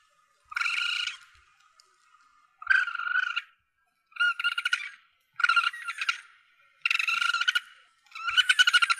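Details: Asian palm civet young giving repeated squealing, grating cries, used as a hunting lure; six harsh bursts roughly every one and a half seconds, each with a nasal buzzy tone and rough texture.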